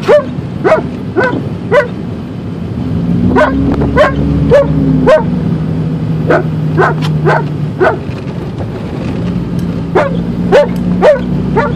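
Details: Alaskan Malamute riding in a car to the dog park, barking in quick bursts of short, sharp, slightly rising yips, roughly two per second, with a brief pause midway, against a constant low engine drone.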